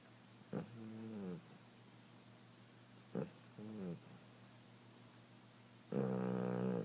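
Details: Sleeping cat snoring; low, buzzy, harmonic-rich rasps in bursts about a second long, separated by quiet pauses of two to three seconds, with a short click before some breaths.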